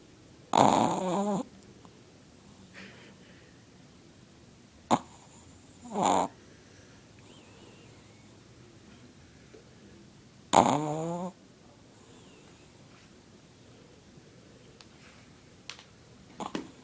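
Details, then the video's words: Sleeping male Chihuahua, eyes sometimes open, snoring loudly: harsh, buzzy breaths with a whistling, ringing edge, arriving in short bursts several seconds apart, with quiet room stillness between them. "Chihuahua snoring really loud"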